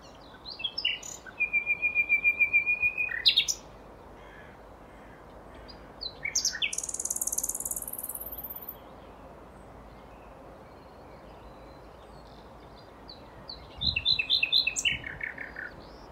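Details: Wild Asian small-clawed otters give high, thin chirps and squeaky trills in short bursts separated by pauses.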